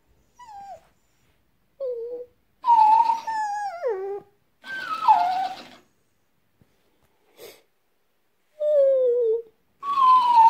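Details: French Bulldog called Pepsi answering a talking hamster toy indoors: a series of whiny yodel-like moans and falling wails, some short, some over a second long, with brief silences between.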